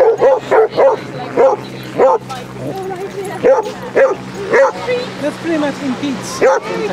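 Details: A group of 30 Basset Hounds romping along sunny Exmouth beach in Devon barks almost continuously. The short, clipped barks come nearly twice a second and some overlap, over a faint low drone.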